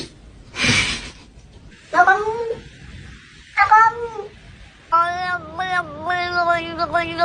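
A domestic cat gives a series of drawn-out, wavering meows, rising then falling, after a brief noisy burst.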